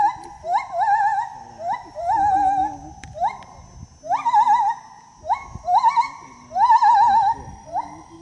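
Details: A gibbon sings as it travels through the trees. Quick rising hoots follow one another, most breaking into a rapid vibrato warble. They come in bursts of two or three, with a softer, lower tone heard in places.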